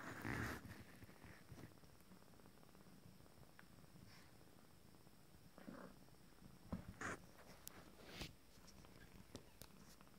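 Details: A 19-day-old Abyssinian kitten from a first litter purrs softly and calmly, a low steady rumble broken by faint clicks and rustles.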